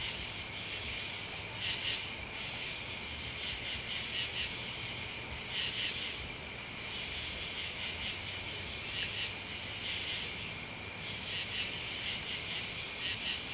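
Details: Dense night-style chorus of crickets and bugs: a constant high trilling drone marked by recurring sharper chirp bursts spaced a few seconds apart.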